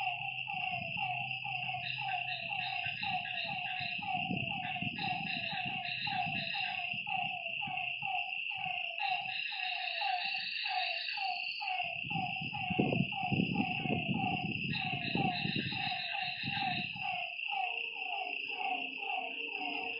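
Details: Night chorus of frogs at a lakeside, dense repeated downward-sliding croaks with a continuous high insect whine behind them and bursts of low rumbling noise in the background.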